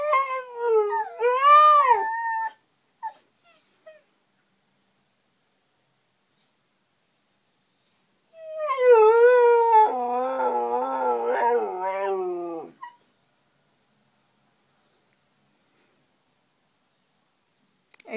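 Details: Siberian huskies, a pair, howling in response to a car alarm: a wavering, rising-then-falling tonal howl for about two seconds, a long silence, then a second bout of overlapping quavering howls lasting around four seconds before quiet returns.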